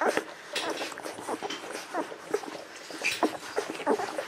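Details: Eleven-to-thirteen-day-old Golden Retriever puppies from Aiko of Haarby and Lady Dina making high squeaky whines and short yips, several overlapping, some notes bending upward, with light rustling underneath.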